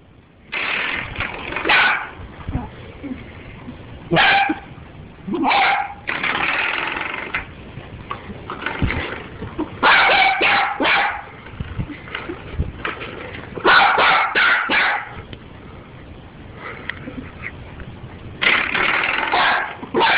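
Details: Doxie, a pet dachshund, going crazy over a door stop indoors: sharp, excited barks fired in uneven bursts, some in rapid clusters of three or four, separated by short pauses and low whines.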